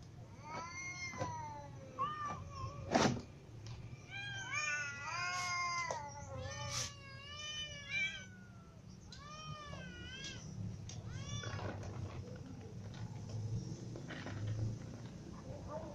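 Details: Little and adult cats, including a ginger cat, meowing from hunger; a busy stretch of many short, arched meows from several cats overlapping, with knocks and clatter between, fading into quieter calls.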